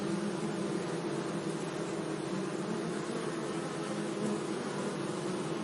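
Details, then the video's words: Bees buzzing among flowers in a sunny meadow, a dense, steady low hum with clear droning tones that barely changes, set against a soft broadband hiss. "Relaxing Bee Sounds"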